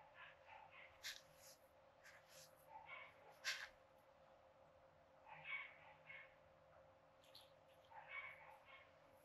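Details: Newman, a sand cat in his San Diego Zoo habitat, digging for hidden scents, materials and treats as enrichment; scratchy bursts of scraping and rustling come in irregular clusters with quiet gaps between them.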